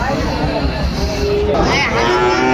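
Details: Sahiwal cattle, bull calves at Raniganj cattle market in Dinajpur, Bangladesh, on 6 June 2024; a low, steady, droning moo rises out of dense crowd chatter and bargaining voices in the second half.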